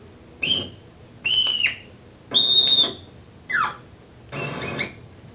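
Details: Marmot; alarm call; warning of a predator, here a dog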